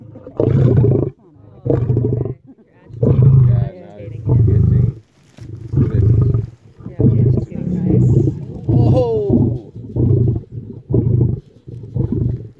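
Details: Lion roaring: a series of deep, low, rumbling grunts in short bursts, about a dozen in quick succession, each roughly a second apart, loud and coarse with little high-pitched content.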